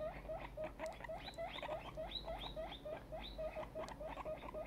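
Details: Guinea pig, a grown young female, very excited, squeaking in quick repeated bursts, short upswept notes tumbling about three or four per second with a steady patter.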